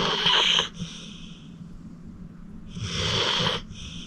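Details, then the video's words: Fourteen-year-old pit bull Acorn, a rescued senior dog, snoring in deep sleep: two loud, wheezing snores with a whistled overtone, roughly two and a half seconds apart, separated by quiet breathing. "Acorn Sleeping - Relax with a Snoring Senior Dog"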